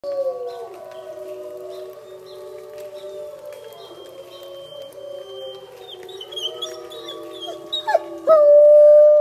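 A wolfdog howls in long, smooth, mournful tones that slowly waver and slide in pitch.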